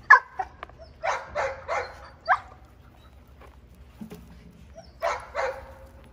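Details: Young female Giant Schnauzer in protection training barks in a quick burst of four, pauses, then fires two more rapid barks; a low thud sounds in the gap.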